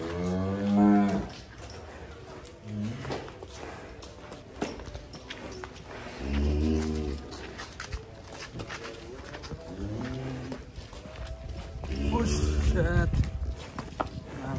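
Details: Giant contest-champion cattle in Indonesia being led out of the barn; several deep, drawn-out harmonic moos around one, three, seven and twelve seconds in, with people talking and cheering and steady background noise.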